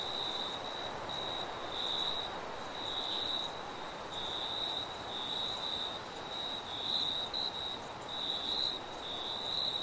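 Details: At night in a forest, crickets trill in steady, pulsing high-pitched bursts over a soft rush of wind.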